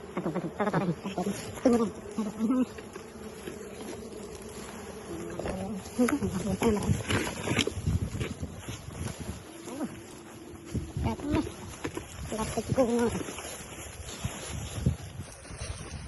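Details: Wild bees humming as honey is harvested, their low continuous drone mixed with frequent rustling, knocking and handling noises and a man talking at intervals.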